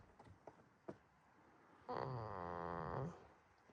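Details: Sleeping goat snoring at a quiet farm in Himi, Toyama Prefecture, Japan; a few soft rustles, then one buzzy, vibrating snore of about a second with a wavering, slightly rising tone before fading back to quiet.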